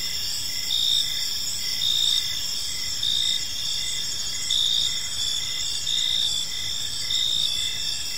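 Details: Crickets chirping on an evening in a peaceful park, a dense high chorus with steady bands and short pulsed chirps repeating roughly once per second over low background rumble.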